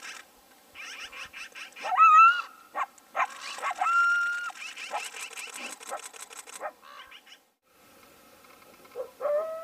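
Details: Coyotes fighting over a bison carcass trade sharp yips, barks and high, wavering whines in a squabbling group.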